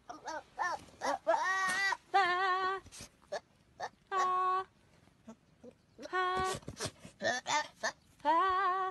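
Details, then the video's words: Friendly young goat kid talking to a girl, giving a string of loud, wavering, tremulous bleats in quick bursts, some long and quavering, some short, interspersed with brief human voice sounds and laughter between calls. "Friendly goatling talking to girl"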